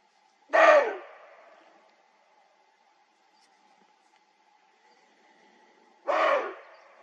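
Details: A male roe deer in the Dzungarian Alatau mountains during the autumn rut gives two harsh, hoarse barks about five seconds apart over a faint, steady humming tone.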